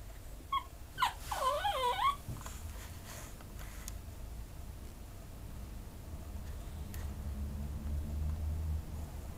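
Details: A Pekingese up for adoption lets out a couple of short squeaks, then a wavering, quavering whine lasting about a second, followed by quiet room noise with low rumbling.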